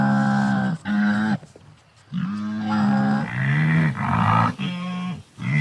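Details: Wildebeest giving a run of about six nasal, honking grunts, each under a second long and fairly level in tone, some trailing off lower, with short quiet gaps between.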